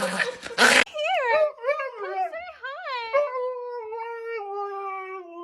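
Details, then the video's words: Dog making a strange sound indoors: after a burst of laughter and screaming, a run of wavering, arched whines repeats quickly, then settles into one long, steady, slowly falling howl-like tone. "That dog made a strange sound."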